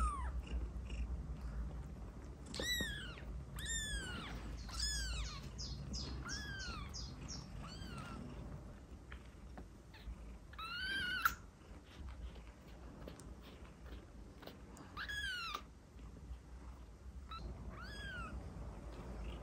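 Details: Kitten meows meant to attract cats: a series of high, thin, arching meows, several quick ones in a row early on and then spaced out, over a steady low rumbling background noise.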